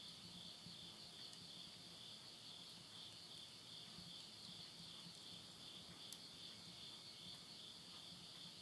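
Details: A late-summer midnight insect chorus in rural Tottori, Japan, September 2020, rings on without pause as a bright, high-pitched, gently throbbing trill, while burning wood in a stove adds scattered ticks and crackles.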